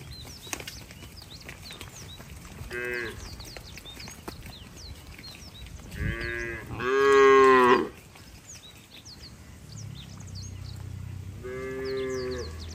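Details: Cattle being herded along a wet road toward the barn in the rainy season, moving slowly; several loud harmonic moos, one long and strong near the middle, with shorter ones before and after, over a background of chirping birds.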